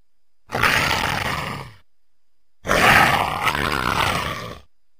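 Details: Leopard making two harsh, raspy snarls, the first about a second long and the second closer to two seconds, separated by a short silence.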